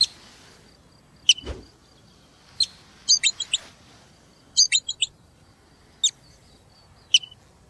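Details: Marmot giving sharp, high whistles that sweep steeply downward, spaced a second or so apart, with small clusters of quick chirpy notes between them over a quiet background.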